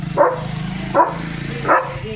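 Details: Three clipped barks from Leo, a pet German Shepherd playing with a shoe in his mouth, evenly spaced under a steady low hum.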